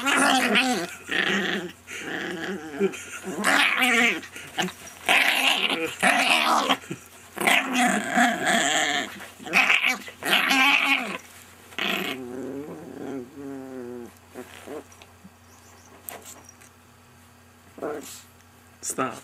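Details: Rocco, a pet chihuahua, vocalising in a friendly mood: a run of harmonic grumbles, whines and soft growls in quick bursts during the first twelve seconds, then quieter scattered sounds and a couple of short squeaks indoors.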